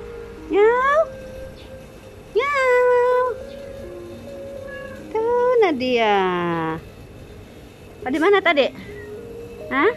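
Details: Abandoned cat, fed every day and rescued at a workplace door, meows repeatedly: five rising-falling, plaintive meows, one long and sliding downward, with a faint steady tone behind.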